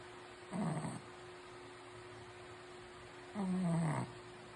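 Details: A sleeping Shih Tzu gives two low, throaty snores, the second longer and drawn out with a falling pitch. A constant background hum runs underneath.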